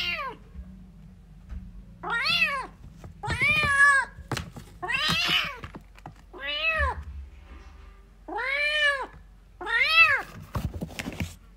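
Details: Kitten meowing for its mother, a series of seven high arched meows with rich harmonics, each about half a second long, spaced roughly one to one and a half seconds apart, with soft thumps and low room hum between calls.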